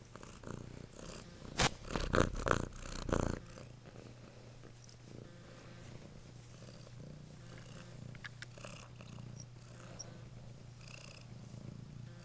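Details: Domestic cat purring: a steady low rumble runs continuously from about the fourth second onward, after several loud handling and rustling bursts at the start.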